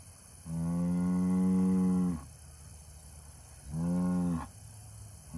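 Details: Low, drawn-out moos from an Angus bull: a long steady call of nearly two seconds, then after a pause a shorter one, both rich in stacked harmonics and ending abruptly, with faint hum behind.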